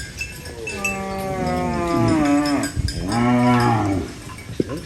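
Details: Cow on a rural farm while eating banana leaves, giving two long harmonic moos, the first rising then falling, the second steady and drawn out, each about one and a half seconds, with faint ringing in the background.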